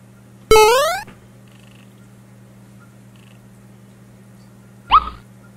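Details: Maine Coon cat during play at home: one loud sharp rising meow that ends abruptly, then near-silence with a steady low hum, and a second short chirping call near the end.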